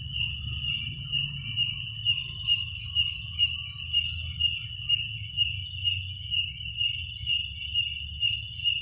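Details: Crickets chirping at night, steady high-pitched trilling in two bands, pulsing roughly twice per second, over a low rumbling hum.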